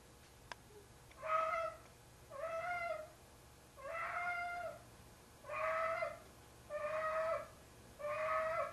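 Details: Tigger, a heavy domestic cat of about 25 pounds, calling indoors at night while carrying a pair of socks he treats as his kitten to bed; six long, drawn-out harmonic meows, each about a second, repeated roughly every 1.3 seconds.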